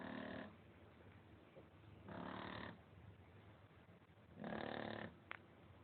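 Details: Sleeping Shar Pei named Lolita snores; three harsh, buzzy breaths come roughly every two seconds, each about half a second long, separated by quiet stretches of low room hum.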